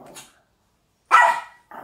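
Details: Maltese dog, fierce on the outside but fearful inside, acting especially aggressive while held by its owner indoors; one short sharp bark breaks a near-silent pause, with faint rustling before and after.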